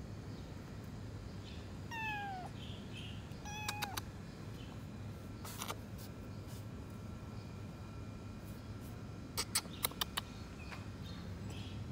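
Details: Rescued abandoned kitten, scared of people, from a dilapidated house: two falling meows early, then clicks and tapping sounds, with faint soft mews later over low room hum.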